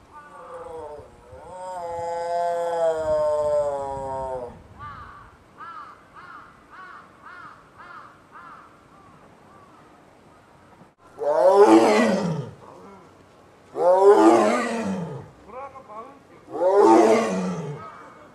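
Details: At Maruyama Zoo on 21 January 2011, Ai, an 8-year-old female Amur tiger just coming into heat and calling often, gives a long moaning call, a run of short grunts, then three deep, rasping roars.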